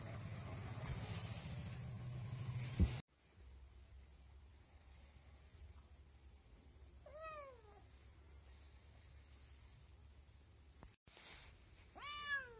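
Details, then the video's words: Kitten letting out two short, sharply falling meows several seconds apart, with low rumbling background noise and a loud thump at the start. "बिल्ली के बच्चे की आवाज Kitten Sounds"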